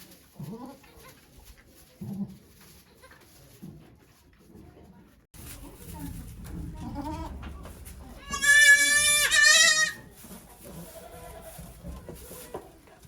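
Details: Okayu, a goat at Yoshigake farm, in labour with twins on 3 May 2023 before a crowd of volunteers: a long, loud, wavering bleat of about two seconds follows soft murmurs and rustling, then quieter voices.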